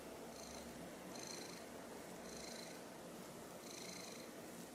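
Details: Silver tabby cat purring in a quiet room while looking up at a toy removed after she nearly swallowed it; an even purr rising in four gentle breathy waves, roughly one per breath.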